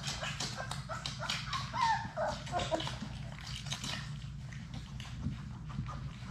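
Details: Six Labrador Retriever puppies at play in their puppy play room, filmed by a live puppy cam; short, thin, wavering whimpers rise and fall near the second mark over constant clicking paws, scratching and a steady low hum.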